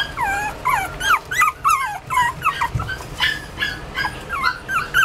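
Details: Toy Poodle whimpering indoors: a run of high, wavering whines that bend up and down, some sliding and looping, in quick short bursts with brief pauses between them.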